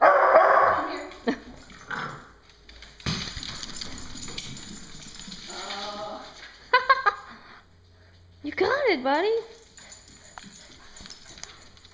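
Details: Two pet dogs, Miko the Coton de Tulear and Moka the Standard Poodle, playing with a yellow ball indoors; short barks and a rising-falling whine among a person's speech and handling noise.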